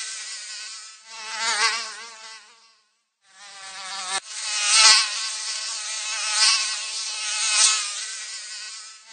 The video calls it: 모기 날아다니는 소리, 모기 소리를 듣고 싶을 때, 1시간, 1 hours